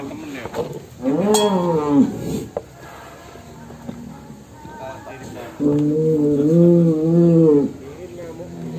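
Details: Cattle leaving their pen. A loud, rising then falling low bellow lasts about a second, followed by a sustained, wavering moo of roughly two seconds. Scattered voices and some background music are heard between the calls.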